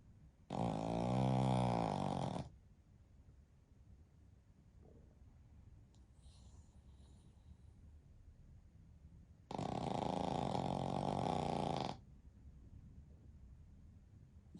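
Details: Flat-faced Pekingese x Shih Tzu crossbreed asleep during a daytime nap with its family of dogs indoors; two long, rumbling harmonic snores of about two seconds each, spaced roughly nine seconds apart, with soft breathing between.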